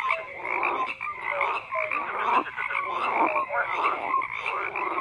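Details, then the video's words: Many frogs calling together: a thick wall of rasping croaks with brief whistle-like notes popping through, steady and unbroken throughout. "FROGS CROAKING"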